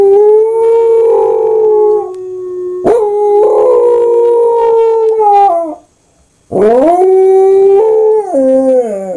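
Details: A pet corgi, having taken up howling after hearing German Shepherd howling videos, howls in long, steady, mournful notes that waver, pause, then rise and step downward.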